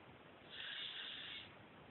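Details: Mimi the cat snoring while asleep, recorded on an Android phone: one soft, breathy hiss of about a second swells and fades, with quiet background hum before and after.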